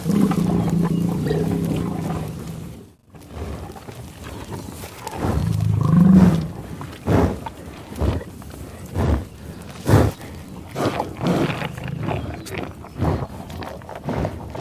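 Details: Grazing American bison on a tall grass prairie give long, deep rumbling growls, then a brief pause, another low growl, and a run of sharp sniffing snorts and grunts spaced about a second apart.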